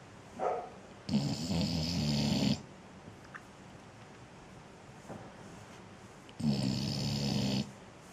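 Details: Pet dog snoring indoors while hot: two long rasping snores of about one and a half seconds each, low rumbling with a hissy upper layer, separated by quiet breathing and a few faint snorts.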